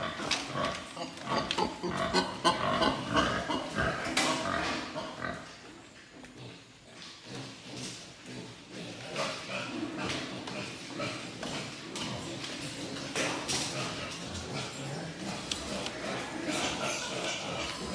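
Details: Breeding-stock wild boar kept at Cô Út farm give a busy run of rough, rapid grunts and short squeals. They come in loud bursts, quieten midway, then build again into steady snuffling and grunting over faint background noise.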